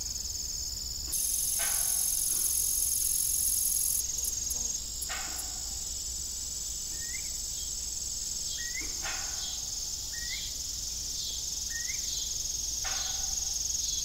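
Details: Evening crickets at an old family farm with a disused windmill: continuous high, rapidly pulsed chirping, a louder hissing stretch early on, several broadband knocks, and a run of short rising chirps from another caller.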